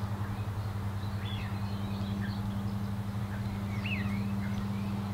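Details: Red-tailed bumblebee, a female Bombus lapidarius, in the Disselmersch nature reserve on an April afternoon in 2018; a continuous low buzzing drone runs throughout beneath high twittering birdsong, captured with a Panasonic Lumix GH5.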